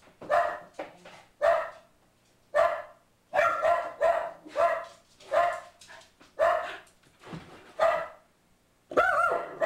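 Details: Boo Radley the pug mix keeps barking at a man at the door: about ten loud, harmonic barks, some short and clipped, others paired in quick succession, with brief gaps of near silence.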